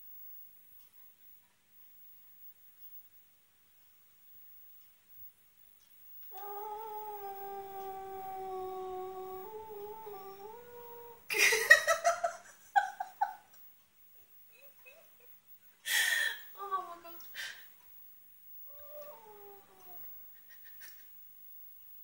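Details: Ruby the cat gives a long, even wail of about five seconds indoors, then breaks into rough, broken yowls and short wavering cries separated by brief silences.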